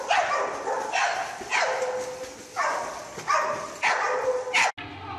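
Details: Dog barking in a rapid run of six sharp, harmonic barks, roughly one every three quarters of a second, ending in an abrupt cut.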